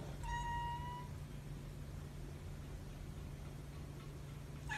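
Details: A calico polydactyl cat gives one thin, high, steady mew lasting under a second over a low background hum, whining while being offered turkey.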